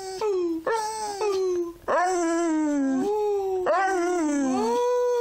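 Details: Beagle singing, long wailing howls that slide downward in pitch, each starting with a sharp rising onset, three to four drawn-out phrases in succession.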